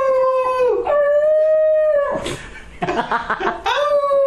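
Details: A pet dog howls indoors in long steady tonal notes, dipping briefly then holding level, broken by a noisy rough bark-like burst before the smooth howl resumes at the end.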